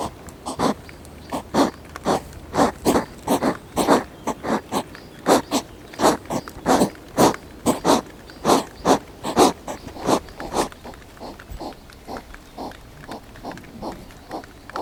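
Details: Hedgehog fight over territory, which happens almost every night, filmed up close with a GoPro. A rapid run of harsh, breathy huffs and snorts repeats about three times a second, then grows softer toward the end.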